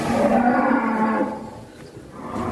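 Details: A large Malbor and Brahman cross bull, one of several rare oversized cattle leaving their pens, gives a deep, sustained moo lasting just over a second before fading into background chatter.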